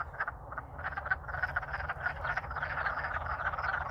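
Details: Wood frogs in Alaska singing loudly while courting in spring after thawing; a busy overlapping chorus of quick raspy clucks that builds in loudness, with steady low background rumble.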